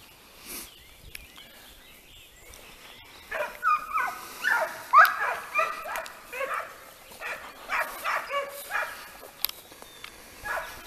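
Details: Segugio Italiano hounds of the pack Le Frecce, outdoors in hare training: after a quiet start, bursts of high, yelping bays begin around three seconds and repeat irregularly, one to two per second, until the end.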